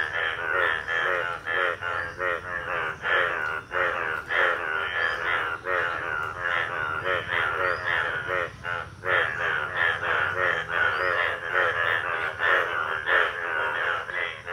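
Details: Monsoon chorus of Indian bullfrogs at a village pond, breeding males yellow with two blue vocal sacs; many loud, throaty, pulsing croaks overlap densely, rising and falling in rough waves for the whole stretch.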